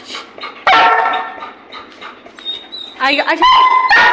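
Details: Goku, a pet Labrador Retriever, in a playful mischievous mood: one sharp harmonic bark, then softer whiny rising tones and a few more yelps, mixed with a woman's coaxing Hindi speech.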